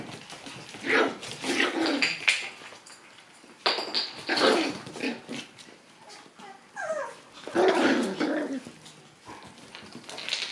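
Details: Shiba Inu puppies, a group arriving full of energy at daycare, trade raspy growls and short barks in separate bouts, with one falling whiny squeal in the middle.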